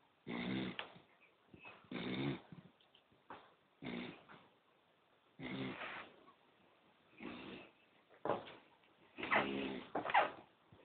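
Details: Poodle asleep, snoring in uneven bursts: about eight short, rough, nasal snorts of varying strength with shorter gaps between them, in a quiet room.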